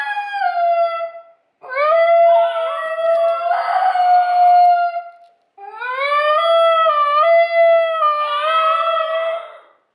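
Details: Female basenji joining in with another basenji's recorded yodel indoors; two long tonal howling phrases separated by a short gap, each swooping upward at the start, then warbling and wavering in pitch with rich harmonic overtones.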